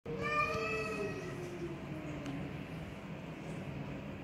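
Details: Persian cat, described as black, in a cat fight: one long drawn-out meow with rich harmonics, starting high and sliding slowly downward over about two seconds, then fading into a low steady background hum.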